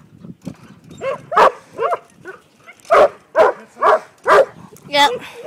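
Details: Herding sheep for the first time, five-month-old Briard puppy Aragorn barks in a steady series, roughly two per second, with each bark full and harmonic; voices are faintly mixed in.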